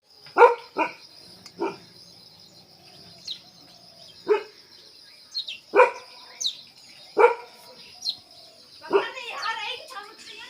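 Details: Himalayan Baan Gaddi dog, a family pet breed, kept at a Delhi kennel, giving about seven short, sharp barks at uneven intervals, some in quick pairs, over a steady high-pitched background tone and faint chirps.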